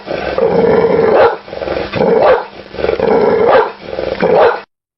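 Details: Dog giving four long, harsh, rasping bursts, each lasting about a second, separated by short pauses, with a rough growling quality rather than crisp single barks.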